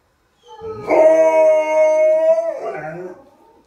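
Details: Golden Retrievers howling: a single sustained, steady tonal howl held for about a second and a half, swelling in at the start and breaking into a rougher, wavering tail before fading out.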